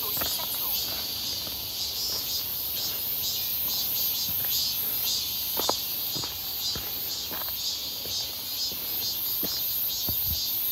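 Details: Loud cicada chorus near Seonbawi on 1 August 2023, a clear and scorching midsummer day when their calls had sharply increased; a shrill, pulsing buzz dominates, with footsteps clicking roughly twice a second below.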